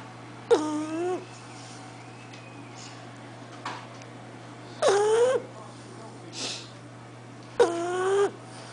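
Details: Lilly, an Olde English Bulldog, snoring: three drawn-out, whiny, tonal snores with a bending pitch, arriving roughly every three to four seconds, with softer breaths between and a steady low hum behind.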